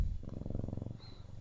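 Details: Close, loud Siamese cat purr, a continuous rapid rumbling flutter throughout the short stretch.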